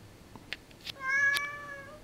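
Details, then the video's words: Female Siamese cat indoors responding to her owner's interrogation: a few soft clicks and taps, then one loud, level, harmonic meow about a second long, followed by the owner's voice. "Talking Siamese Cat VERY talkative! She answers all my questions!"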